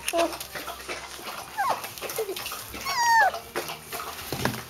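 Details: Young puppies named Lissi, Pupsi, Herr Schulze and Paulchen, crawling, cuddling and scratching: thin high whimpers sliding downward, one drawn-out squeal and a few short squeaks over steady rustling and scratching.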